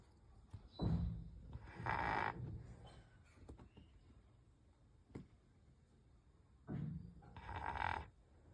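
A Rottweiler snores in slow, rasping pairs of breaths, each round repeating about every six seconds.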